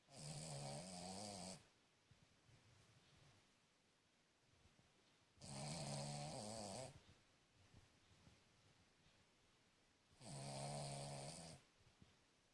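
A Cavalier King Charles Spaniel snores loudly, each rasping breath lasting over a second and repeating about every five seconds.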